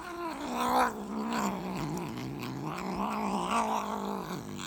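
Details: Abyssinian cat giving a low, drawn-out growling yowl with wavering pitch, said to be in a vicious fight with a snake while protecting the household; one continuous moaning growl with brief louder swells.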